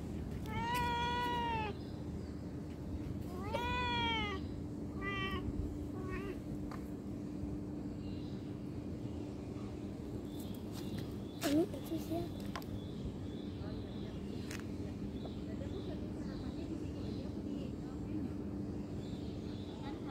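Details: Cat producing three meows in the first five seconds, the first two clear and drawn out, the last shorter. Then a quieter stretch with low background hum and a few soft clicks and knocks.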